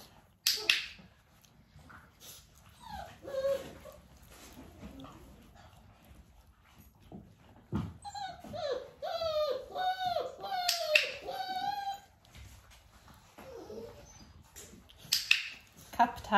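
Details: Nearly six-week-old Dalmatian puppies, indoors with their mother Arya during clicker training, give a burst of high, wavering whimpers and yips midway, each rising then falling, after quieter shuffling, with clicks and a voice at the edges.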